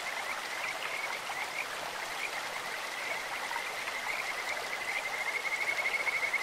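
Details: Kajika frog calling in a clear stream: softer pulsed whistling at first, building to a clear high trill over the final second and a half, with rushing water throughout.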